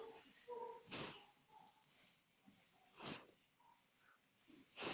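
Harsh, breathy chimpanzee huffs recur roughly every two seconds, with faint short tonal notes in between. The vocalization expresses curiosity, heard against a low hum of room noise.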